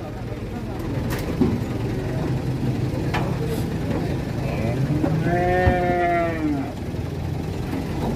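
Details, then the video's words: A rampaging calf gives a single drawn-out, mid-pitched moo with rich harmonics that rises slightly and then falls, lasting about a second and a half, over constant low rumbling, background noise and people talking. "SAPI PEDET NGAMUK KETEKAK GULUNE"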